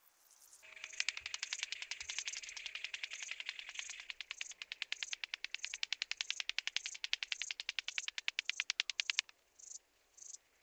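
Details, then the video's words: Rattle grasshopper recorded at Boltigen, Switzerland, on 7 September 2023: a loud dry rattling buzz of rapid regular clicks lasting about eight and a half seconds, then two short rattle bursts after a pause. "Psophus stridulus -- Rotflügelige Schnarrschrecke"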